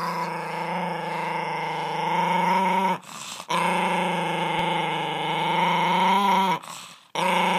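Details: Miniature pinscher, a pet dog, growling steadily with a continuous harmonic rumble, brief breaks around three and seven seconds, pitch wavering slightly throughout.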